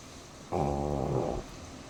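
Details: Black pug asleep, giving one drawn-out, low, droning snore-like sound with a hiccup quality, steady for about a second before stopping; quiet room otherwise.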